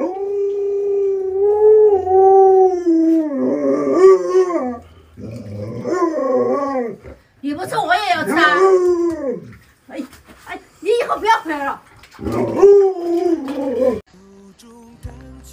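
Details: A pet Alaskan Malamute named Luoluo howls in a long series. Drawn-out wavering tones alternate with rising, breaking yodel-like bursts, separated by short pauses over about fifteen seconds.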